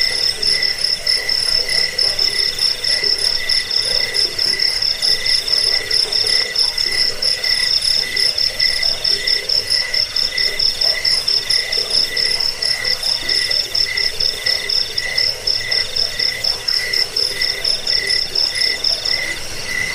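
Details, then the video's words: Crickets in a dense chorus, offered as a sound for repelling rats, for sleep and for training songbirds; steady layered high pulsing bands chirp rapidly, about twice a second, beneath a continuous bright trill. "Suara jangkik pengusir tikus pengantar tidur"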